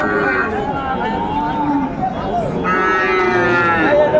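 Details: Sahiwal breed bull calves at a cattle market, 20 December 2024, where a Dhaka farmer buys stock; drawn-out harmonic moos swell and fade over steady crowd chatter and bargaining voices, with a brighter moo near the end.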